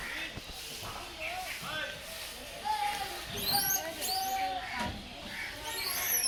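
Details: Young langur calling with quick upward-sweeping squeaks in clustered bursts, mixed with lower wavering tonal notes and some faint background rustling.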